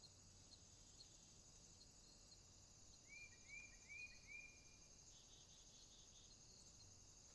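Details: Night chorus of crickets in a swamp, a shrill sustained drone throbbing in rapid pulses, interrupted midway by a short run of four rising chirps from another animal, with faint low background hum.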